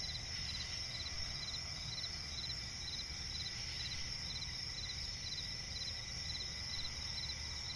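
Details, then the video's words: Nocturnal cricket chorus in swampy forest: a bright sustained high trill with clear pulsed chirps repeating several times a second, constant low background noise beneath. "cricket chirping relaxing sound in night forest"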